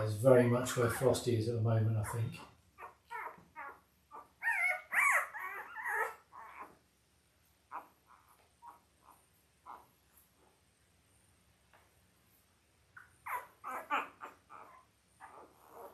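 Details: Five-day-old Labrador Retriever puppies from Belle's litter of five males and three females, born October 15, 2023. A human voice speaks first, then high, squeaky puppy whimpers and squeals come in short bursts mid-clip and again near the end.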